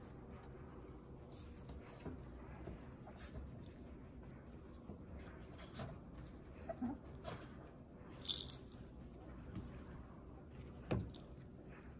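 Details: A quiet room holds scattered light clicks and rattles, with one louder clatter near the middle.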